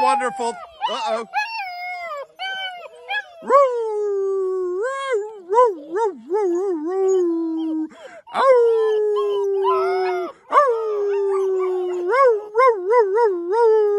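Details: Black German Shepherd puppies, ten in a kennel litter, howl after supper in response to whistling; long quavering howls held for several seconds, rising then sagging, with wobbling ends, short gaps between bursts, and a man's voice at moments.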